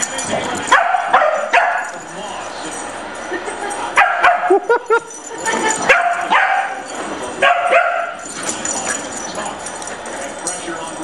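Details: Corgis chasing a visiting puggle during play, with a few sharp barks and yips scattered among the noise of the chase, around the one-second and four-to-eight-second marks, over a steady background hiss.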